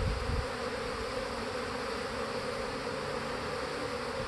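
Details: Honey bees swarming in heavy activity around their hive, a thick unbroken drone of many wings humming at an even level, with a soft thump at the start.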